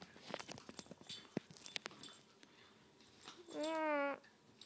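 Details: A puppy at play during tug of war, amid clicks and scuffling of the toy, ends with a single drawn-out, wavering high whine lasting about half a second.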